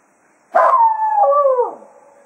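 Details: Cato, a Jack Russell Terrier at Quail Roost, bids the hounds farewell as a day of foxhunting ends: a single howl of about one second, holding steady and then wavering downward before trailing off.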